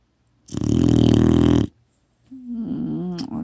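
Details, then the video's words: Sleeping four-month-old female retriever puppy Kkotsuni, phone-recorded, gives one drawn-out, gravelly snore lasting over a second, followed by a higher, wavering tonal voice. "리트리버 새끼 코골이 리얼사운드 "드르렁""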